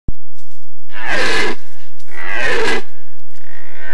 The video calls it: Boncănit/Red deer stag bellowing